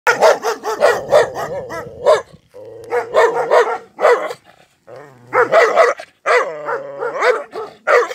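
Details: Rottweiler. A Rottweiler gives rapid strings of deep, gruff barks, several to a burst. Low rumbling growls fill the short gaps between volleys, giving the whole an angry, aggressive sound.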